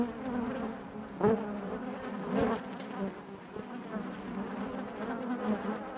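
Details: Inside a honey bee hive, a constant droning hum of many bees, fairly even in loudness, with two short sharper swells as single bees fly near.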